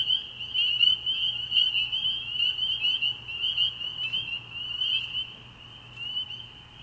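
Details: Spring peepers at a frog pond at night in early spring, many individual high peeps stacking into a bright, shimmering chorus that gradually softens toward the end.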